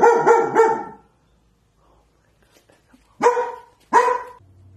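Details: Pet dog in a kitchen, scared and protective, barking at a corner the day after the household's other dog died: a rapid trio of barks, a long silence, then two separate sharp barks and a low hum.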